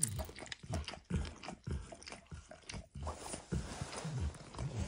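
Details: Max, a pet dog, laps at a bumpy orange lick mat spread with eggs and peanut oil; moist smacking licks in separate bursts with short quiet gaps between them, recorded close with no speech.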